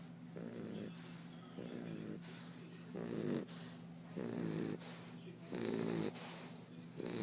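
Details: English Bulldog (Canis lupus familiaris), snoring.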